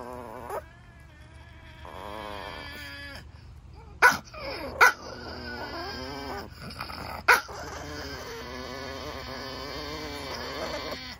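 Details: Chihuahuas in an argument, sounding like a tiny scooter race; wavering, whiny high-pitched growls and moans rise and fall, broken by three sharp yips near the four-, five- and seven-second marks.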